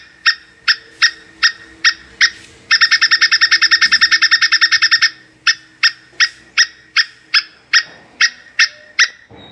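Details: Mating call of a plantain squirrel: spaced, sharp harmonic chucks, a burst of fast trilled chatter, then the spaced chucks again at a steady pace, with low hum and a soft thump near the end.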